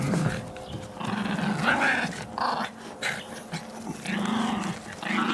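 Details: Miniature Pinschers relaxed and enjoying themselves; a low, rumbling growl runs in sustained stretches broken by short pauses, rising and falling slightly in pitch, with faint background noise.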